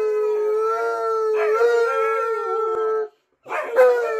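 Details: Tonka, a pet Alaskan Malamute trailing its owner to the bathroom, holds a steady sustained howl with a slight wobble for three seconds, then goes briefly silent before a rougher, falling howl resumes.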